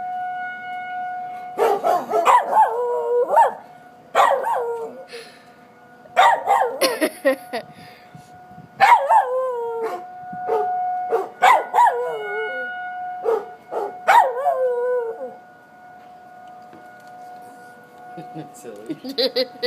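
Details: Willy, a dog upset by tornado sirens in Coon Rapids, lets out repeated barks that slide into short falling howls in clusters, with the siren's steady tone audible throughout.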